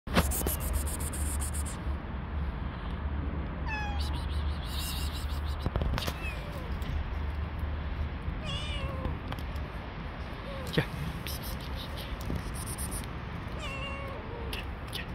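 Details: Stray cats on the street, many males chasing one female; a few thin, drawn-out meows, some rising then falling, scattered across steady low rumbling background noise with occasional clicks and knocks.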